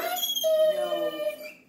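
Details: Pet dog wanting to play with another dog, giving a high squeaky whine likened to a dolphin: a thin steady tonal note held for about a third of a second, then sliding lower, with a person speaking faintly alongside.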